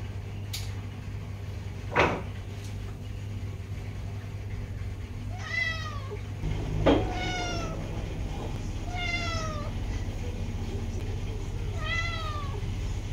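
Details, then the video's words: A female pet cat meows nonstop to have the door opened. After a couple of sharp knocks, four falling, whiny meows follow one another about every two seconds, over a constant low background hum. "Cat meows non stop 猫咪不停的喵喵叫"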